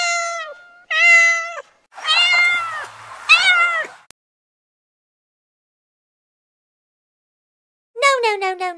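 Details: Little kittens meowing in quick succession, about four clear high mews with rich overtones, some sliding downward, then a pause and a final descending cry.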